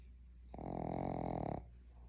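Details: Boston Terrier. A Boston Terrier puppy lets out a single drawn-out snore, a low, rough, fluttering rasp. It lasts about a second, with quiet room hum before and after.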